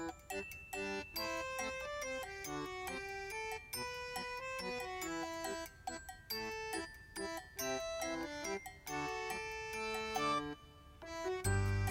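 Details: Bright, playful instrumental music with chiming bell-like notes plays throughout, and no animal sound is heard.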